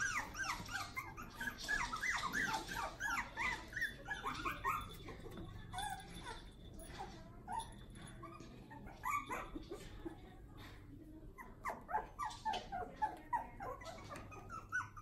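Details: One-month-old puppies newly moved into their play area, a litter whining and squealing in dense bursts of high, bending whimpers, busiest at the start and again near the end, with quieter gaps between.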